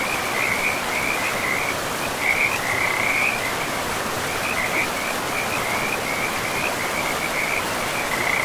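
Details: Frogs calling along a river in pristine, moss-covered forest. Trilled, rattling high notes in clustered bursts repeat throughout, with a continuous broad rush of flowing water underneath.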